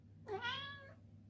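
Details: Coffee Cat, a Ragdoll cat, meowing indoors to ask for his morning treat: a single harmonic meow, briefly rising then holding steady and fading, about two-thirds of a second long, over a low steady hum.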